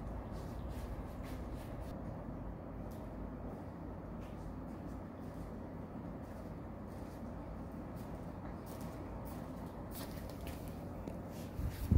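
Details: A constant low rumble like a running vehicle, with scattered light clicks and taps and no animal calls.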